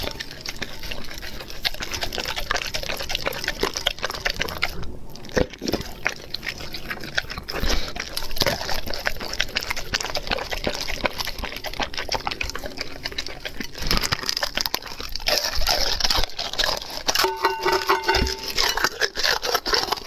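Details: Raw food being eaten by a dog: steady wet, sticky chewing and dripping slurps, broken by occasional louder crunching bites and a short pause.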